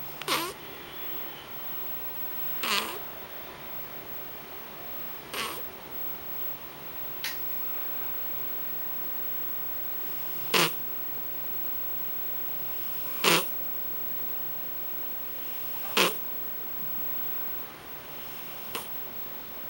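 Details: A house cat snoring hard. Short, rough, raspy snorts come roughly every two to three seconds, some sharper and louder than others, with a low steady hum and near silence between breaths.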